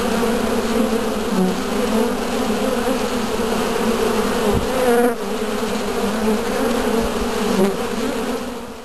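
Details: Many Western honey bees (Apis mellifera) entering and leaving a hive at its entrance make a steady, droning wing-buzz hum with a low wavering tone.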